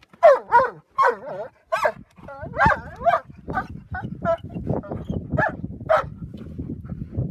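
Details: Three Giant Schnauzers chasing birds on Black Rock Sands beach at Porthmadog, giving a rapid run of high, excited yelping barks, about a dozen within seven seconds, with a person's voice faintly underneath.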